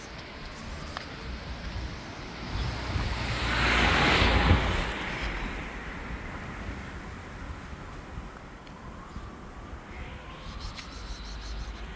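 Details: Outdoor street ambience with steady wind rumble and passing traffic swelling around the fourth second, with no animal voices heard.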